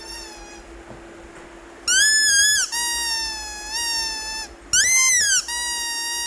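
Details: Rhodesian Ridgeback puppy in India, angry at not being given a squeaky toy, giving long high-pitched whines and yelps in several drawn-out bursts, some wavering and falling, after a person repeatedly tells it to sit.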